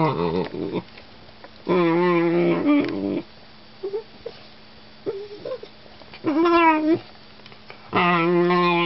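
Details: Vocal German Shorthaired Pointer puppy whining in several bursts, each a wavering, moaning howl-like cry, with quiet gaps and a few soft grumbles between them.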